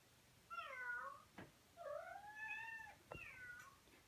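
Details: Lovestruck male Persian cat calling toward a cat he saw on the internet: three tuneful meows in close succession, the middle one long and gently rising, with a couple of faint knocks.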